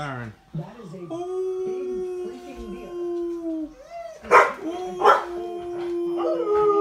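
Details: Two wolfdogs (a five-month-old female and her brother, aged one year five months), with a husky, give long, steady, mournful howls set off by a siren during training, with a person's voice heard in between.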